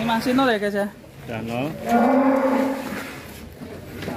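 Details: Extra-large cattle raised in Indonesia as a Qurban sacrifice animal: a short rising moo breaks into a long, steady, deep moo with rich overtones, fading slowly, over a faint murmur in the background.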